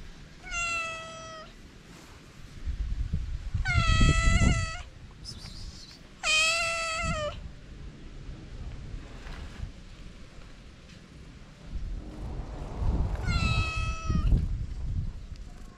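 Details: Hungry feral cats, a calico and a ginger, meowing outdoors in the cold: four loud, harmonic-rich meows, each steady or slightly falling and lasting about a second, spaced several seconds apart over a low rumbling background.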